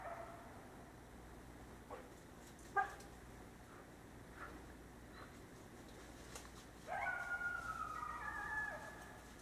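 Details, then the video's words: Nighttime coyote, calling out to pack members: mostly quiet hiss with a few faint clicks, then a clear, thin howl sliding downward in pitch for about two seconds near the end. "Coyote Howling at Night"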